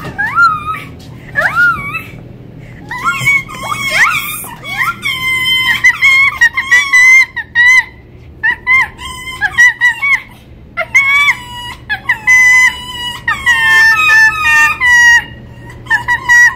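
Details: Winter, a female red fox rescued from a fur farm where she spent her first five months, still learning to trust; she whines when petting stops. Long run of high, harmonic, wavering whines and yelps in quick bursts, indoors.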